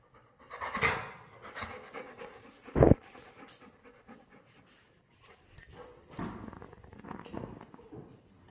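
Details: Mr. Honey, a Labrador Retriever, pants in irregular breathy bursts while playing, with one sharp knock midway and a few quieter snorts later.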